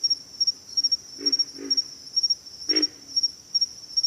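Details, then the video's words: Two quick low grunts, then a single louder one, from pig frogs, while a thin, piercing insect trill carries on steadily underneath. "pig frogs - sound effect"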